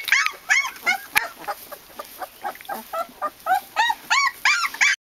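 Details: Several Japanese Tosa Inu puppies yipping and whimpering: quick arched whines, some faint and overlapping, repeated roughly three times a second, with one sharp click near the start.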